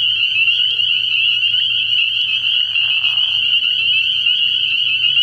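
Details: Spring peepers massed at a frog pond on an early-spring night, their high, steady peeping blending into one shrill band, with a brief soft rasp and a faint low hum.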